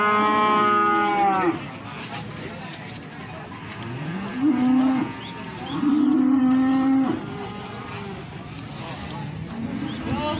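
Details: Cattle at the Plaosan cattle market, Magetan, Indonesia: a loud harmonic moo opening the recording, then two shorter flat lowing calls near five and six to seven seconds and a faint one at the end, over market hubbub.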